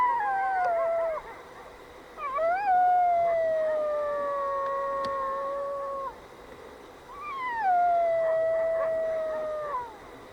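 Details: A young coyote in Yellowstone, thought to be hungry and howling for its mother, gives long, sliding howls that rise sharply, then fall slowly, with distant coyotes answering its call.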